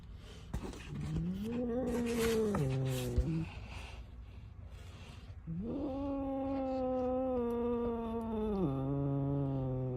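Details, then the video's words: Angry domestic cat giving two long, drawn-out yowls. The first rises and wavers before breaking off near three seconds. After a short pause, a second steady, moaning howl holds for about three seconds, then drops lower. "Angry Cat"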